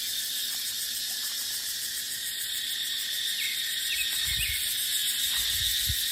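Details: Shrill, unbroken insect drone of cicadas in a dry dipterocarp forest in the dry season, pulsing quickly; a few faint high chirps midway and low wind gusts rumbling toward the end.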